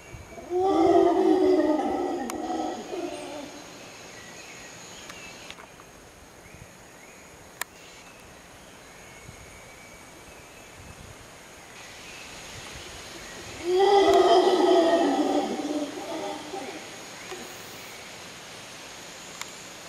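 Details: Howling monkeys at Arenal Observatory Lodge in Costa Rica give two loud bursts of deep, rasping roaring, one at the start and another about thirteen seconds later, separated by a quieter stretch of continuous insect hum.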